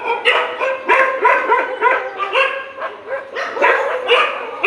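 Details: Dogs fighting in the morning, barking hard and fast: rough, harmonic barks pile up almost without pause, several overlapping bursts each second through the whole stretch.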